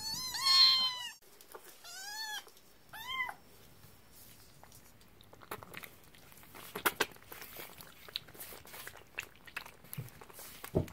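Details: Kitten, just woken and eating, getting angry: a loud, drawn-out whining meow, then two shorter rising-falling meows within about three seconds, followed by quiet chewing and clicking sounds indoors.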